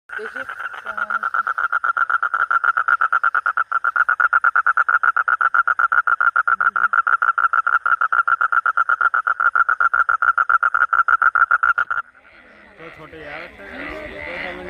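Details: A monsoon-season frog gives a long, steady, rapid pulsed call, then people start talking.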